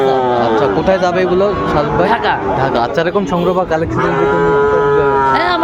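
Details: Sahiwal bull calves at a cattle market where Dhaka farmers are buying, 3 February 2025; drawn-out harmonic lowing tones rise above constant loud human chatter and bargaining voices of the crowd.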